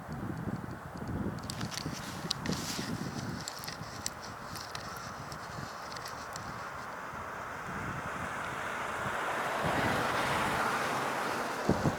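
Only steady wind buffeting the microphone is heard, with a low rumble and no clear animal calls.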